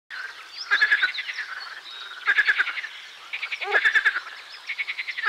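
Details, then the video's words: Marsh frog song: three bursts of rapid clicking, rattling pulses about every one and a half seconds, over a steady background chorus of other frogs. "Песня озерной лягушки Pelophylax ridibundus"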